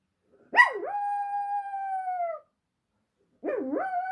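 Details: Dog singing along after a passing ambulance: a sharp yelping onset that swoops down and back up into a long, level howl, followed after a pause by another rising howl.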